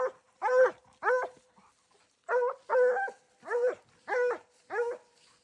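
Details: Dogs hunting raccoons give loud, ringing barks, each with a bright, layered tone. The barks come in pairs and short runs, and there is a pause of about a second in the middle.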